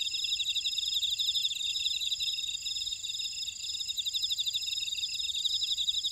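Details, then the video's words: Grass insects of a buckwheat field in Ora-dong on Jeju Island, South Korea, keep up an unbroken high-pitched chorus of steady trills and rapid beaded chirping, several callers overlapping. "제주 메밀밭의 풀벌레 소리"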